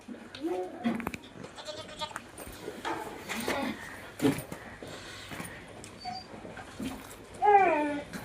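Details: Barbari goats on a goat farm, bleating in short wavering cries scattered through the recording, with a louder rising bleat near the end; human voices and farm clatter mixed in.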